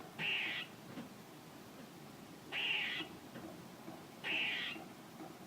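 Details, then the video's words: Three hoarse, nasal squirrel calls, each a loud buzzy burst lasting about half a second with an embedded high whistled tone, spaced around two seconds apart against quiet background hiss. "A squirrel making noises"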